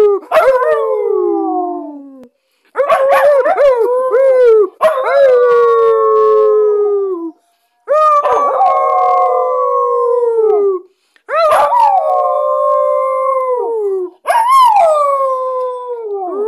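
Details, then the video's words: A Belgian Shepherd Groenendael howls loudly in a series of long, tonal, gently falling notes with short pauses between. "Aullido de Pastor belga groenendael"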